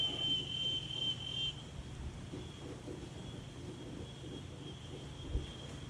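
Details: In daytime outdoors, a high, thin insect trill holds one steady pitch over a low, rushing wind.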